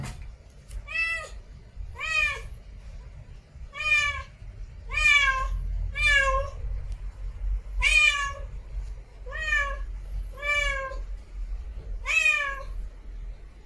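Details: Domestic cat, a female in heat, giving mating calls: a steady series of about ten short harmonic meows spaced roughly one second apart, each with a slight rise and fall, over a low background rumble.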